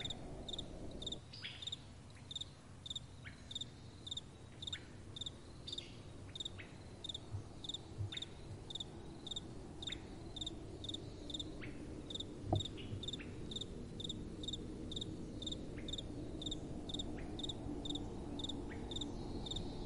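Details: Nighttime crickets sing a clear, shrill chirp repeated nearly twice a second, very even throughout, while soft wind swells and fades in the background with one brief knock.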